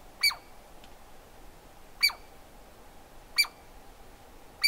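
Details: Douglas squirrel calling in strong, sharp bursts, four in under five seconds, each a bright clicky note with a ringing tone that slides down briefly, with a steady low hum underneath.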